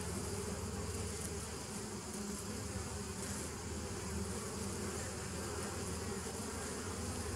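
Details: Bees from a 2017 nuc, recorded 27 September 2018: a steady, dense low droning hum with layered tones, unbroken and even in loudness throughout, over a faint airy hiss.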